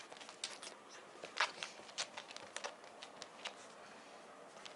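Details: Quiet room with repeated soft rustling and crinkling taps, like paper or cards being handled.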